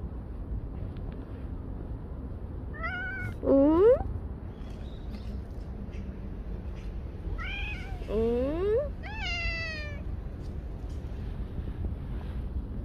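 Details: Stray cats fed in the morning meow twice, about five seconds apart: each a sharp, rising, harmonic-rich cry, the second a quick double call, over low background hum and faint ambient noise.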